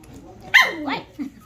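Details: Dog or puppy gives one sharp, high bark followed at once by a sliding yelp, then a brief softer whine, in a quiet setting.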